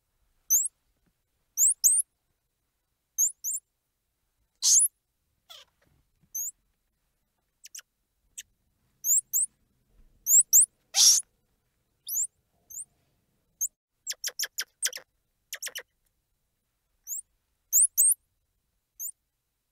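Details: Long squirrel monkey sequence: repeated high upward-flicking chirps in pairs, two loud raspy squeals, quick trains of clicking notes and faint ticks, all against silence.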